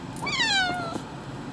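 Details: Domestic cat, a male upset about a vet trip for nail trimming, lets out a single plaintive meow that rises sharply and then slides slowly downward, with a quiet low background murmur.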